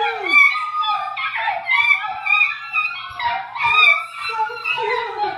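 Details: An Italian Greyhound howls in long, wavering, high-pitched notes that slide up and down while music plays.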